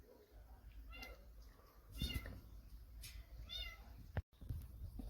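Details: A tabby mother cat stays near her kitten and eats only once the feeder leaves. Several thin, arching meows sound about a second apart, mixed with rustling, brief noise bursts and low hum.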